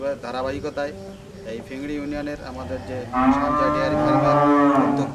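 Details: Dairy cattle on a farm in Bangladesh: a long, steady, drawn-out moo fills the second half, rich in overtones, after a first half of broken tonal sounds and faint background voices.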